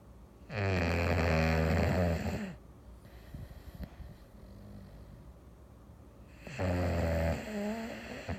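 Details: A pet English Bulldog snores on a Sunday afternoon, long, low, rattling rasps with quiet breathing between them.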